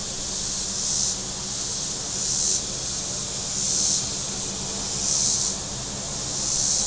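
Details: Cicadas calling on the shoreline of Table Rock Lake, southern Missouri, one very warm Saturday: a high hissing buzz swelling in regular waves about every 1.4 seconds, with a soft low hum of boats.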